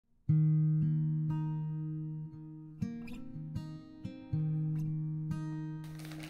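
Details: Slow plucked guitar notes ring out and decay one after another, with a brief burst of noise at the very end and no animal voice.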